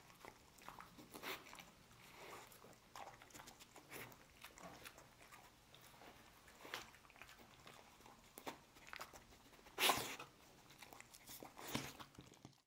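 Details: Dog named Lucy eating dried kangaroo ribs indoors: irregular crunching and gnawing bursts, with louder sharp crunches near the end and soft background noise between bites.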